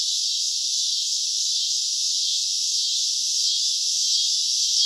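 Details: Several cicadas singing at night in summer, producing a bright, unbroken, high-pitched buzz that swells slightly near the end.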